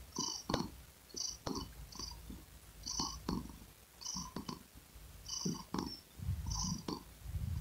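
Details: Close domestic cat purr, a low rumble rising and falling with each breath roughly every second, mixed with small wet clicks and brief high ticks.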